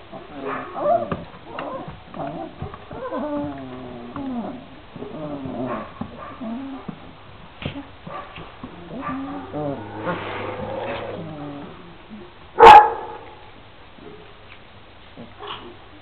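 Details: Šarplaninac puppies aged 26 days, three males and five females, whining and mewling in overlapping, pitch-bending cries. People talk quietly in the background, and a single sharp bark stands out late on.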